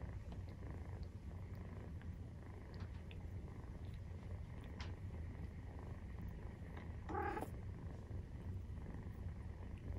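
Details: Nursing-time purr from a Maine Coon cat, kittens 43 days old; a steady deep rumble with a brief higher squeak about seven seconds in and faint rustles.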